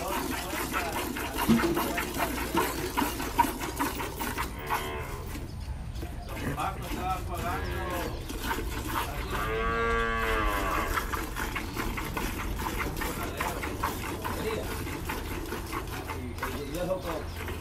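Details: Milking cows on a farm in El Salvador, Gyr and Pardo Suizo cattle; a long, steady harmonic moo rises around the ninth second and sinks away, with an earlier brief call, amid continuous human voices and clatter.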